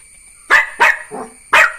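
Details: Young Jack Russell Terrier barking in a short run of four yaps: two sharp barks, a lower softer one, then a final loud bark after a brief pause, over a faint constant electrical hum.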